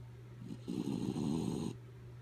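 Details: Kaya Boo, a sleeping dog, makes one rough, rattling snore of about a second, preceded by a faint catch of breath, against a continuous low hum.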